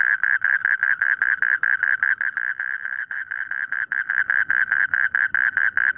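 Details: Frogs calling in a rice field: a fast, steady train of short, clipped croaks repeated about four times a second, overlapping into an unbroken pulsing chorus.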